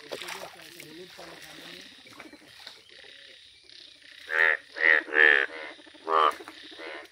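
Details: Yellow-coloured Indian bullfrog calling in nature: after a few seconds of soft background murmurs, four loud, nasal, buzzy croaks come in a quick series, each about half a second long. A fifth croak follows a short pause, then a fainter trailing call.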